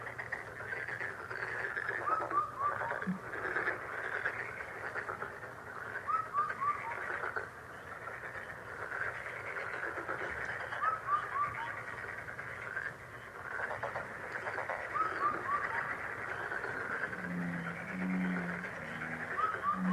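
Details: A lucky frog sound: a rasping, pulsed frog chorus with a brief falling whistled phrase about every four seconds. Deeper, resonant croaks come in near the end.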